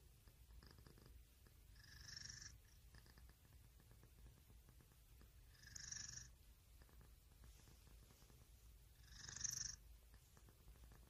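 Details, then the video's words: Pet cat purring continuously in a low, pulsing rumble, with a breathy, wheezy whistle rising over it roughly every three to four seconds, three times in all. "고양이 ASMR"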